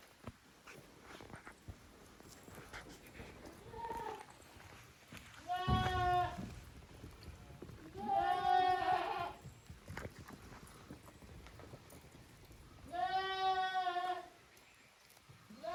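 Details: Young goat kids, offspring of the goats Koharu and Okayu, playing in two teams in an exercise yard at a handmade goat farm in Japan on 13 June 2023; three loud, harmonic-rich wavering bleats, each about a second long, plus one fainter earlier bleat.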